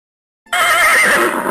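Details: Horse neighing: after a brief silence, a loud, bright, wavering whinny that holds steady and trembles slightly for about a second, with no other sounds.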